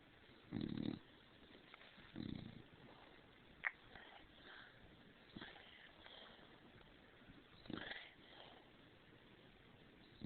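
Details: Overheated pet dog snoring after getting under bedcovers. Two rough, low snores come near the start, followed by quieter sniffs, a sharp click and faint breathy noises.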